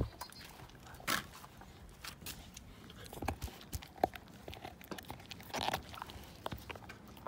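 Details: Siberian Husky named Slim gnawing a bone down to nothing, teeth grinding against bone: irregular crunches and sharp clicks, with louder bursts near the first, fourth and sixth seconds over a soft background.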